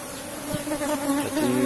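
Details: Asian honey bees from a strong colony in a cultivated box hive during a honey harvest, giving a steady, low, droning hum with a clear pitched tone and overtone, swelling slightly toward the end.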